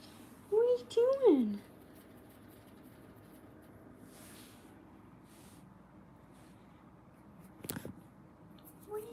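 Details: Kitten in an indoor kitten cuddle room giving two short, high, arched meows in quick succession near the start, followed by quiet room tone and a brief knock or clatter toward the end.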